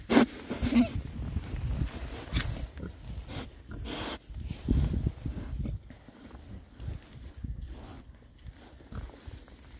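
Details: Six rare-breed Oxford Sandy and Black pigs foraging outdoors in winter between storms; a couple of loud grunts open, then softer irregular snuffling and rooting noises follow.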